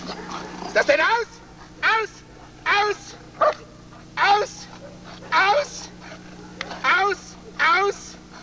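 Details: German Shepherd Lord v. Gleisdreieck from the DDR (East Germany), a working dog recorded off a television screen, dated 1995: loud, harmonic barks spaced about a second apart, nine in total, over a steady low hum.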